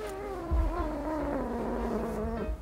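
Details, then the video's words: Suri, a pet cat, complains during claw clipping with one long, low, drawn-out moan. It slowly sinks in pitch and holds steady for over two seconds before breaking off. "귀엽게 짜증내는 고양이 모음"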